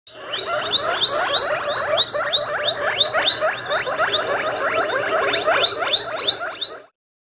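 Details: Guinea pig Gunnar, a rescue with an ulcerated, infected eye and dried cornea, gives a rapid run of high squeaky notes, about three each second, each sliding sharply with bright overtones, continuing steadily for nearly seven seconds.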